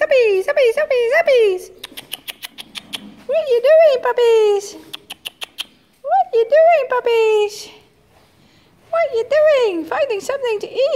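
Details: Eight-week-old Jura x Ted puppies in the stables, playing with a spaniel before leaving: loud high whines and yelps with sharp swooping pitch, in bursts separated by short pauses, with a person talking nearby.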